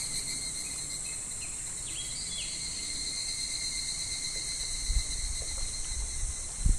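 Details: Cicadas droning by a clear, shallow, slow stream in July midsummer: constant high-pitched buzz, a few brief chirps near the start, and water splashes and rushing toward the end.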